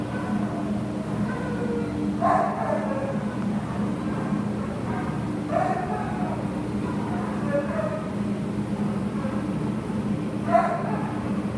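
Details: Adoptable Labrador Retriever, 17 September 2015, barking several times at irregular intervals of two to three seconds, each bark short with a brief sliding whine-like tail, against a constant low droning background.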